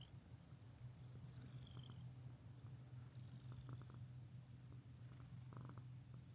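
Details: Strong, even purr from a friendly resident cat at a Shizuoka seaside minshuku with hot springs in Ito, Japan, a deep unbroken rumble with small clicks and a faint thin high tone early on.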